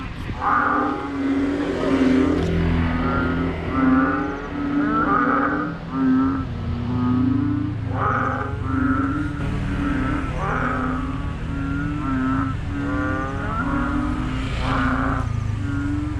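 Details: Frogs heard near a hotel in Thailand: loud, deep, throbbing croaks repeat roughly every two seconds in a steady, pulsing chorus, each call buzzing with layered overtones, over a low background rumble.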